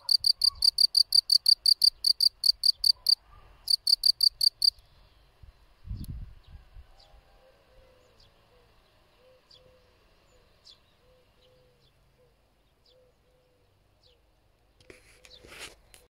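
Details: Field cricket (Gryllus campestris) producing rapid high chirps for about five seconds, broken by one short pause, then near silence with a single dull knock and a faint crackle at the close.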